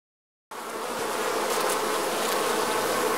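Bees give a steady, dense buzzing drone that starts suddenly after a brief silence.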